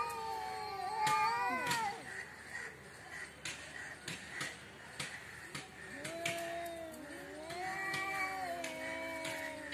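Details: Cats quarrelling in front of a house give drawn-out, wavering yowls with rich harmonics; two voices overlap, one sliding downward early on and another rising and falling later, with faint clicks and household background.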